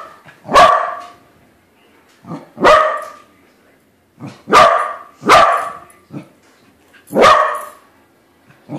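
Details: A pet corgi barks at a corgi-shaped balloon, loud sharp barks in uneven bursts, five strong ones about every second or two, with softer yips between them.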